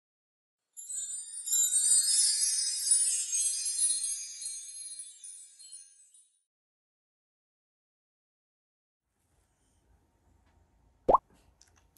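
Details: A bright jingling chime shimmers for about five seconds and fades, then silence broken by a single short thump.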